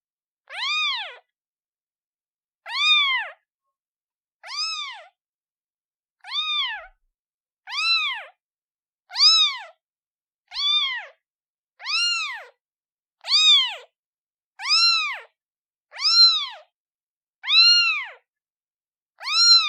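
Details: A newborn kitten calls for its mother with a steady run of thirteen short, arched meows, bright and high-pitched with clear harmonics, repeating roughly every one and a half seconds against a silent background.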